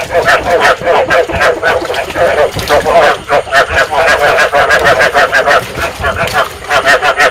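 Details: Lure call of rice field frogs meant to stimulate breeding: crowded overlapping croaking, each note a short pulsed burst, rolling on in quick succession for the whole stretch.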